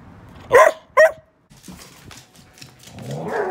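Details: A chatty pet Bedlington Whippet Lurcher, a young dog that often keeps vocalising, gives two short, sharp, slightly rising barks half a second apart, followed by faint rustling and a low voice in a quiet room.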